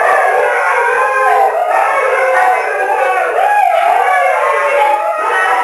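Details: Siberian Huskies, adults and three foster pups, gated in a living room during a dinner, join in a sing-along of long, wavering howls that rise, fall and overlap without a break.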